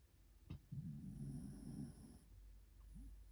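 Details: White Shiba Inu dog, still sleepy, snoring in its sleep: a low rumbling snore lasting about a second and a half, rough and buzzy, after a single sharp click, with a short faint rising snort at the end.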